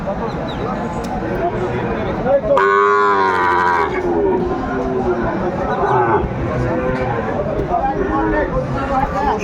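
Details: Sahiwal bull calves at a busy cattle market in Sylhet, Bangladesh, on 29 June 2024: one loud, drawn-out bellowing moo of about a second and a half rises above constant crowd chatter and talking voices.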